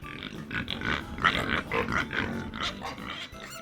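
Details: Pig giving a run of short, rough oinking grunts repeated roughly every half second over steady background music.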